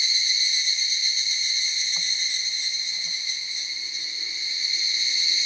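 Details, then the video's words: Forest chorus of many higurashi cicadas singing at once, an overwhelming group sound: continuous shrill ringing tones with a fast, wavering pulse, dipping slightly in the middle, with a couple of faint low knocks early on. "ヒグラシ / Cicada forest"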